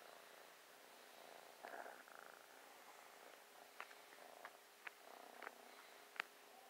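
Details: A new, playful and loving kitten purrs while snuggling; soft low rumbling purr in bursts, quiet overall, with a few sharp clicks and rustles.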